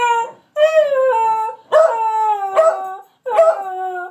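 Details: Moe and Slim, a pair of dogs, howling and yelping in a practiced trick. Sustained, slowly falling howls are punctuated by abrupt yelps, with roughly four cries and short pauses between them.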